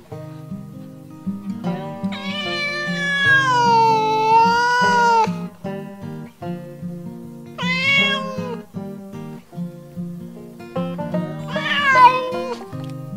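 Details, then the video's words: Cats on a farm giving a very long, wavering meow, then a shorter one and a final high, quavering cry, set against steady guitar background music. "Som dos gatos ,Sound cat"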